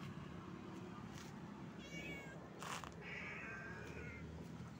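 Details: Stray cat living on the street, meowing: a short thin meow near two seconds, then a longer, steadier meow that holds for about a second, over a low traffic rumble with a brief clattering burst between them.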